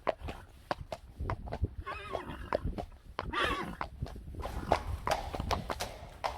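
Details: Friesian horse, one of a herd of 25, letting out two short whinnies amid busy hoof clatter and clicking stable noises.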